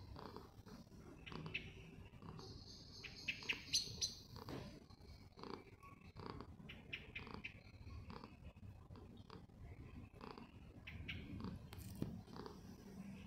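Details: Poofy, a pet cat, purrs in a steady low rumbling drone, with scattered clicks, rustles and brief soft higher-pitched noises layered over the continuous vibration.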